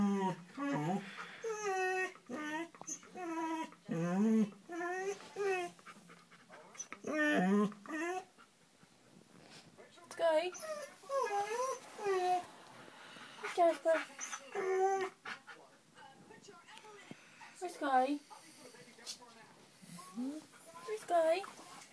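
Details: Jasper, a pet dog indoors, crying because Sky won't come out from under the bed; repeated high wavering whimpers and whines in short bursts, mixed with a person talking to him in a small room.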